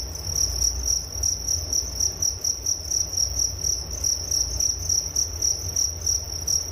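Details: Cricket chirps meant for relaxation before sleep: a high, ringing chirp repeated in quick bursts about four times a second, each burst pulsing slightly, over a quiet low hum.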